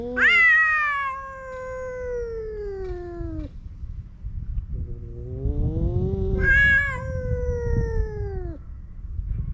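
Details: Sudden fight between male stray cats on a cat island: loud, drawn-out yowls that slide downward over several seconds, answered by a lower rising moan and another high wail, over low outdoor rumble.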